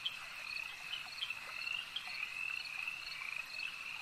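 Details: Many frogs chorusing together at a lake, their shrill, rattling croaks merging into a continuous high hum, with a few sharper notes popping out now and then.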